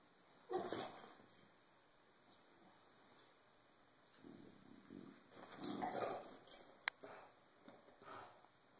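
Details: Cisco the bulldog, tired of being bullied, gives short rough growling bursts near the start and again around the middle, with scuffling noise between the outbursts and a steady high electronic hum behind.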